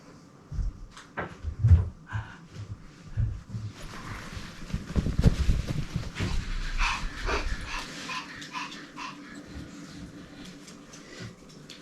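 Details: Kuu, a female Pomeranian shelter dog and former breeding dog, sleeping soundly indoors and snoring: low rumbling snorts come in short bursts over the first few seconds, then broadband clattering and rustling noises take over.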